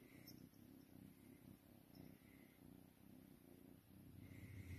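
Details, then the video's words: Domestic cat purring while being cuddled: a steady low rumbling purr, continuous with slight rhythmic pulsing throughout, a few faint higher squeaks or rustles above it. "Cuddles and purrs"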